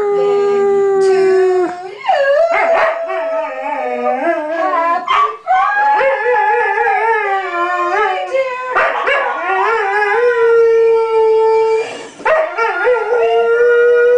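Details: A pet Dalmatian howls along while people sing happy birthday, his long wavering tones sliding up and down and mixing with the voices, with a few short breaks between held notes.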